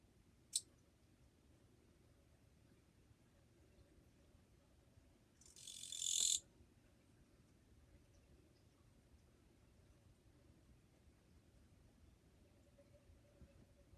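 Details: Japanese katydid on 2 July 2023, fairly quiet: a faint click early on, then one high, rasping buzz of under a second, with quiet background before and after.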